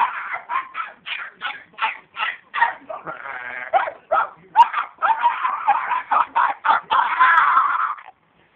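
A Chihuahua yaps in rapid, high, sharp barks, several each second, with a brief buzzy growl midway.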